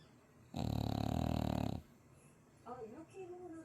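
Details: Loud snoring from a French Bulldog worn out after three days of dog cafe visits in Chuncheon: one deep, harsh, buzzing snore lasting over a second, followed by soft human voices in a small room.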